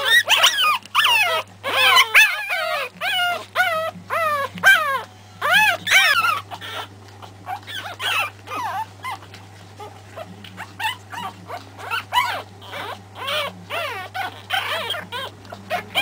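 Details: Three-week-old Pekingese puppies of the Terasroos MJ litter whimper and yelp in quick bursts of high, wavering cries that rise then fall, densest in the first seven seconds, with a steady low electrical hum underneath.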